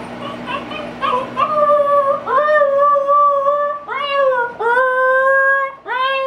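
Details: First howls of a young female Siberian Husky alone indoors, upset and wanting out to help with a yard sale: a few yips, then a series of long steady howls, each starting with a quick upward scoop.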